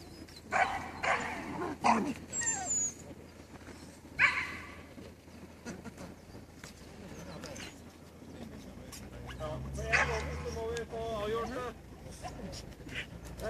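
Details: At a dog show at Førde Camping on 28 April 2011, male dogs give scattered single barks spaced a second or more apart, with a later cluster of quavering yelps, while people talk nearby.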